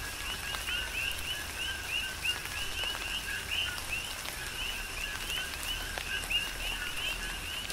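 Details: Coqui frogs calling together in tropical rain on Hawaii's Big Island, their short two-part 'co-qui' notes, the second sweeping upward, overlapping in a continuous chorus over steady rainfall and drips.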